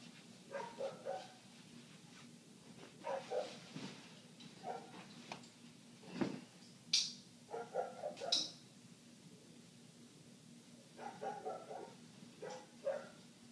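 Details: Dog next door barking continuously for eight minutes, heard inside with the windows shut while laundry is folded: muffled barks in irregular bursts, with sharp clicks and a soft thump from the room in between.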